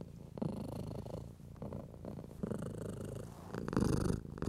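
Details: Indoor cat purring contentedly under a stroking hand, a low vibrating rumble with gentle breath-timed surges and light rustle of fur.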